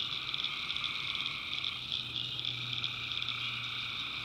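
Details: Night chorus of tree frogs from a North Carolina backwoods swamp, a steady shrill pulsing wall of many callers with a faint low hum underneath throughout.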